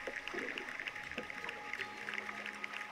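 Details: Steady background music with soft shimmering tones and no animal voice.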